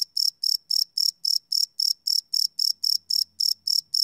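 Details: High, ringing cricket chirps at night, captured live with a Sony PCM D100, repeating about four times a second in an even pulse, with a faint low hum entering toward the end.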